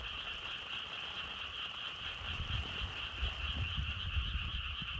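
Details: Continuous chorus of croaking frogs, a shimmering pulsed drone in two pitch bands, over a constant low rumble of wind that swells slightly halfway through.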